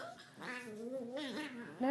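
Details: A small domestic dog named Honey gives a drawn-out, wavering, meow-like whine that sounds surprisingly like a cat, prompting another dog to look at her.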